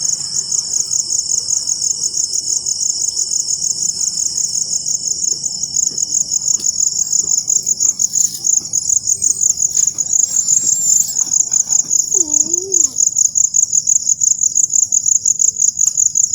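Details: Crickets sing after rain in a dense, high, rapidly pulsed trill lasting throughout, with a faint low chirp near the end and quiet background hiss.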